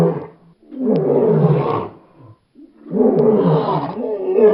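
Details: A lion gives two deep, rumbling roars, each a loud, gravelly burst lasting over a second.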